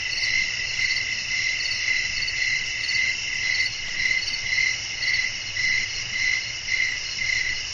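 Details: Crickets singing at night in a natural outdoor atmosphere with wind, producing a constant high, ringing chirr that throbs in regular pulses near two per second over a quiet low background.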